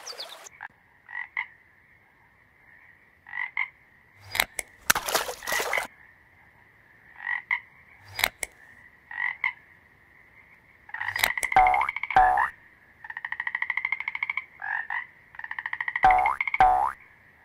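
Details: Calling male toads, which defend territories and attract females in breeding seasons, give short buzzy pulsed croaks at uneven intervals, ending in longer rattling bursts, with several sharp knocks and clicks between.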